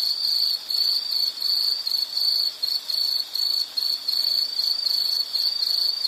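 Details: An insect calls in a nature recording with a shrill, high tone broken into short bursts about half a second long, separated by brief gaps, repeating steadily.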